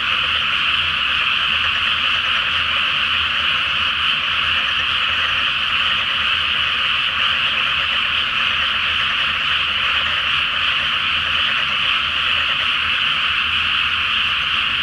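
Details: Great nighttime frog chorus from a flooded paddy before rice planting, full moon, Japan; steady, dense croaking from many callers blends into a continuous buzzing roar without pause.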